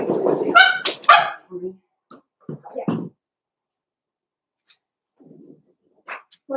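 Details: Blenheim Cavalier King Charles Spaniel puppies, a litter of five born on New Year's in a home puppy pen, give a burst of high, harmonic yelping barks in the first second and a half, then scattered softer yips and quiet rustling.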